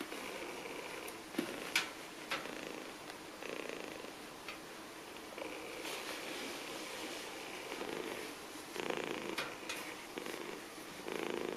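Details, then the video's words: Abandoned kitten found at trash cans in Bulgaria, purring in a soft, steady pulsing rhythm with a few sharp clicks and rustles around it. "Abandoned Kitten Crying At The Trash Cans"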